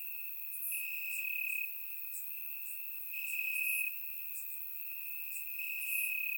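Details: Warm summer night in Bulgarian grassland, crickets chirping: an unbroken shrill trill with louder stretches lasting around a second, recurring every couple of seconds, plus thin higher chirps scattered above.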